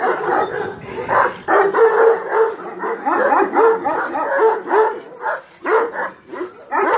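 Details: A Kangal female of the Hanlı bloodline makes dense, whining yelps with a pulsing rhythm, swelling in loud clusters about every half second to a second.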